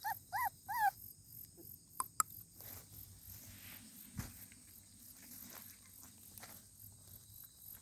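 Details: Puppy giving three short, arched whining yelps in quick succession within the first second, then falling quiet while soft rustling and a steady low background hum continue.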